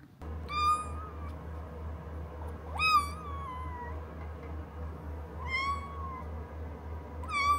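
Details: Minuet kitten Asari, a pet at home, meowing four times, each meow clear and slightly falling in pitch, spaced roughly two to three seconds apart over a low steady hum.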